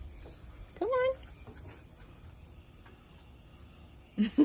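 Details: An English bulldog puppy at night gives a single high, rising bark, apparently alerting to a noise outside, possibly a tow truck on the road, with a woman speaking softly around it.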